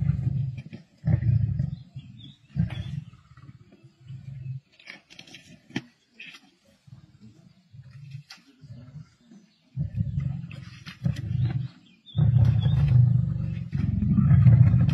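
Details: Male lions feasting with a pride on a kill in the wild, Sabi Sands, 31 March 2024; short low growls early, a quieter stretch of crunching and scuffling, then sustained deep rumbling growls building toward the end.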